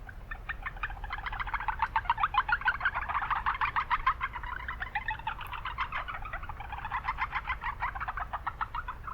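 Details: Japanese brown frogs in a town wetland keep up steady, rapid pulsed calling from overlapping callers, rising and falling in intensity, against persistent low-frequency background noise.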